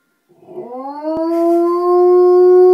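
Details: Rooney, a four-year-old female Old English Sheepdog, howling along with a fire truck: a single howl swelling from a soft rough start into a loud, steady, clear tone with rich harmonics, slightly rising and held to the end.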